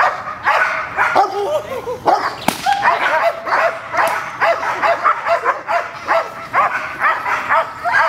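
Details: Gold, a female dog at protection training with a new decoy, gives rapid, high, arching yips and whines, several per second in uneven bursts, with a sharp snap-like crack in the middle.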